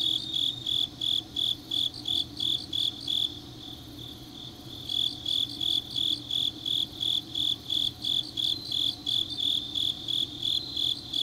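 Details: Grass insects calling late on an autumn night in Changnyeong, South Gyeongsang Province; rhythmic high chirps roughly three per second, pausing briefly near the middle before resuming, with a steady continuous trill and faint low hum underneath.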